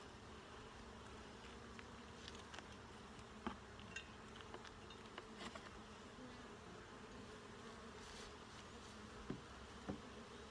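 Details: Honey bees during a full hive inspection, a steady low drone of many wings filling the recording, broken by occasional sharp clicks and knocks of equipment against the hive boxes.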